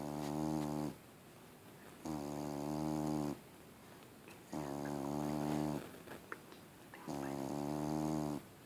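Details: Huge fluffy house cat asleep and snoring, something it does constantly: four drawn-out rasping, harmonic snores about every two and a half seconds, steady and rhythmic, with faint clicks and rustles in the quiet pauses.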